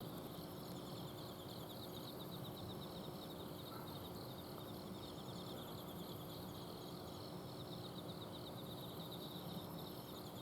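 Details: Autumn insects calling at night in a home garden in Azumino: several layered high pulsed trills repeat steadily throughout, over a constant low hum from an air-conditioner outdoor unit.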